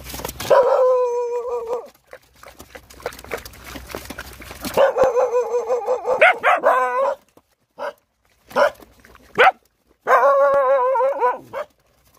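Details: Rottweiler puppies, hungry while nursing, whine in long quavering cries with stacked harmonics, broken by short yelps and pauses; scattered clicking and rustling fill the gap between cries.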